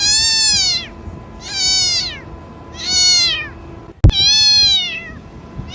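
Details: A kitten cries to summon its mother: four loud, harmonic meows that bend downward toward their ends, spaced about every one and a half seconds, with one sharp click just before the last.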